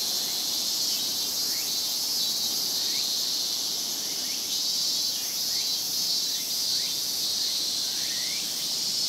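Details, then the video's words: Summer chorus of Japanese cicadas in Japan: a loud, constant high buzzing drone, overlaid by a series of short rising chirps repeated roughly once a second. "Big chorus of Japanese cicadas.日本の夏の蝉しぐれ"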